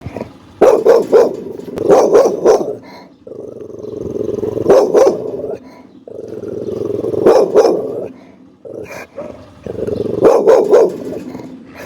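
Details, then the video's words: Pit bull dog barking angrily and loudly: clusters of three to five sharp, harsh barks every few seconds, with a low rumbling growl continuing between bursts. "Som de Pitbull Latindo"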